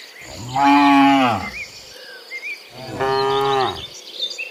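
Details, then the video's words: Cows from a herd of dozens walking home from the fields to the pen in the afternoon; two long harmonic moos about two seconds apart, falling at the end, with faint chirping birds and insects behind. "Sound Dozens of Moo Cows Walking Home from the Fields to the Pen in the Afternoon, Sound of Cows"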